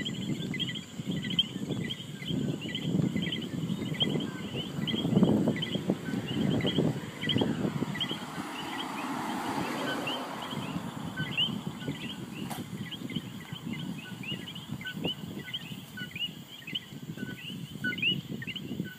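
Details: Many common coqui frogs call together in Puerto Rico, each giving a sharp two-note 'co-qui' chirp over a low rumble.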